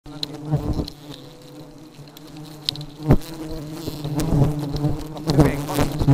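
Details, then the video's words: Honey bees described as very aggressive; a dense, low droning buzz of many bees fills the recording, swelling and fading, with sharp close fly-past whines and taps cutting through. "Lebah Madu Sangat Agresif‼️"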